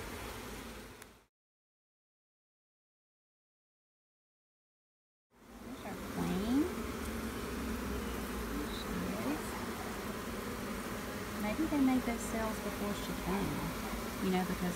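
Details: Bees at a hive during a check on a new queen, a dense low buzzing hum that starts after a short silent gap and runs steadily to the end. Brief talk about eggs and honey is heard around it.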